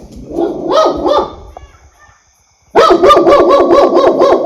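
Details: Dog giving a few rising, harmonic barks, then a pause and a fast run of loud, evenly spaced barks, roughly four per second.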